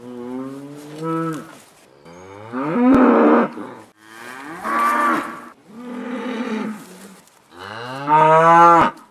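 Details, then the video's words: Cows on pasture give a series of deep, drawn-out moos, one after another about every two seconds. "Cows on pasture/ Kühe auf der Weide/ Krowy na pastwisku SOUND EFFECTS"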